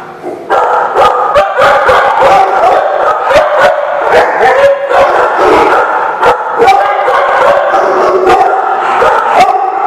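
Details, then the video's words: Dogs barking on 18 July 2016: loud, sharp barks come in rapid, overlapping bursts several times a second throughout, with some higher yips mixed in. "The Barking Lot"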